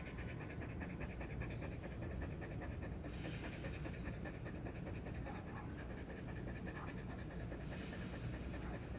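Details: Whiskey, a pet husky, takes a break after running a lot, panting rapidly and steadily throughout in an even, rhythmic train of breathy pulses, with a person talking softly in the background.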